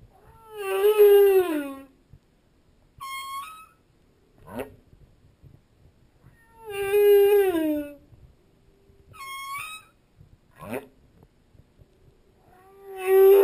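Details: Humpback whale song recorded underwater as the whale swims past, with a school of opelu passing. Long harmonic moans sweep up then down, followed by short rising whistled units and a sharp downward swoop, the phrase repeating about every six seconds.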